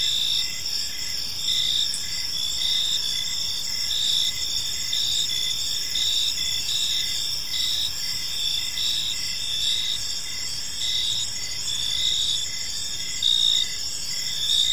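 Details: Evening park ambience of crickets: layered high-pitched chirps pulsing in a loose rhythm about once per second above a constant shrill drone, with faint low background rumble.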